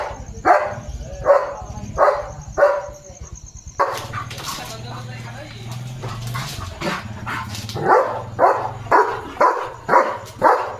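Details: Evening at a farm, a German Shepherd on barking duty defends his area, jumping and barking fiercely. Barks repeat about twice a second in bursts, with a noisier stretch midway and background rumble.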